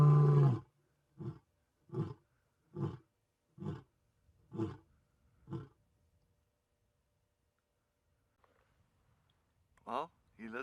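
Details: Tail end of a roar from a roughly ten-year-old male lion lying in an open clearing, calling out to his pride. One loud moan, then six short, deep grunts that fade away, a long silence, and a brief voice near the end.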